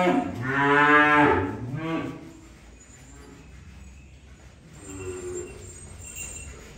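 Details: Cattle being unloaded: a strong, wavering moo of under two seconds, then quieter background with a faint distant lowing near the end.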